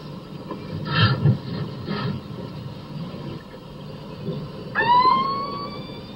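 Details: Captive killer whale underwater in a netted pen in a bay off Iceland, communicating with a harbor porpoise just outside: muffled pulsed bursts, then a drawn-out, rising, nasal squeal rich in overtones.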